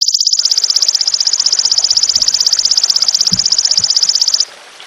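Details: Golden grasshopper (belalang emas) in a long shooting call, recorded as clear training audio for songbirds: a high, rapid pulsed buzz, about four seconds of evenly repeated ticks, then an abrupt stop into quiet background hiss with faint low knocks.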